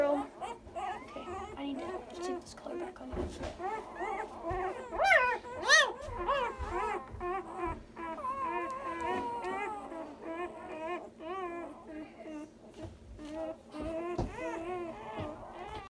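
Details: Komondor puppies a day old, a newborn litter, fill the air with overlapping high, wavering squeals and whines, arching up and down in pitch almost without pause, while soft human voices murmur underneath.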